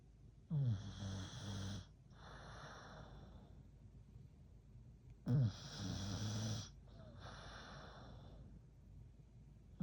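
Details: Hulk, a sleeping American Bully, snores in two slow cycles about five seconds apart. Each starts with a sharp snorting rasp, then a long, low, rattling drone, followed by a softer airy breath.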